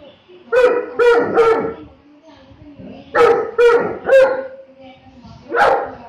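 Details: Saint Bernard dog barking: deep, hoarse barks in a quick run of three, a pause, another three close together, then one final bark, with quiet room hum between.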